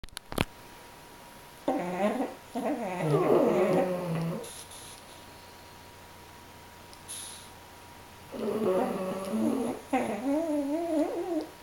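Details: A French Bulldog and a Pug snore during a nap in wheezy, wavering, tonal bursts, each breath a few seconds long.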